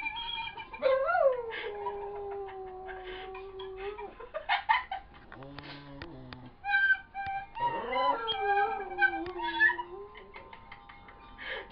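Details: Pet dog howling along to an Irish whistle: long wavering howls that slide down and level off, interleaved with the whistle's steady high tones and a short low buzzy passage midway.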